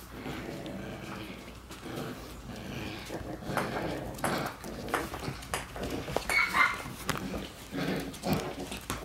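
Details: Shiba Inu puppy, a female born on 22 December with a cross-shaped mark on her chest, gives brief high yips and whimpers among rustling, scuffling handling noises and faint voices.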